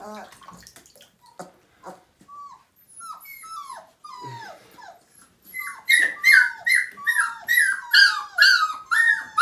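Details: Siberian Husky puppy, five weeks old, at its first bath in 2017. A few scattered, quiet whines come first, then a loud run of rising-and-falling yelping whimpers repeats about twice a second in the second half.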